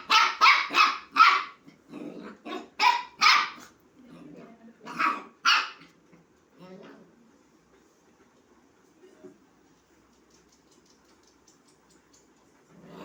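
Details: Puppy inviting a kitten to play: fast, sharp yapping barks in clusters during the first six seconds, a few soft sounds, then near silence for the rest.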